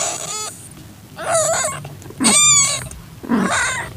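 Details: Calitabby cat in heat taking in a young calico kitten whose eyes were just opening, 6:30 PM, 8 September 2021: four loud, clear meows about a second apart, each wavering in pitch, with quiet gaps between.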